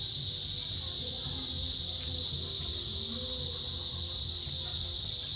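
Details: Small cicadas buzz in a steady, high, unbroken drone in the afternoon at the start of the rainy season, with males calling to females.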